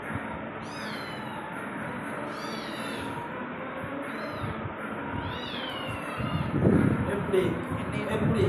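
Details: A pet cat gives a few short meows, each a brief rising-then-falling cry, spaced out over several seconds, with a steady hiss underneath and people talking in the room.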